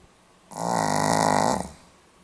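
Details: Snore from a sleeping Pomeranian, dated 8 November 2015: a buzzy, fluttering inhalation swelling over about a second, steady rapid vibration, then easing away into silence.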